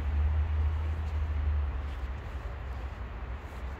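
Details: Sweet homeless tabby cat living on the street, purring: a low, steady rumbling pulse, fast and continuous, strongest in the first second and a half, then fading slightly, with faint background traffic.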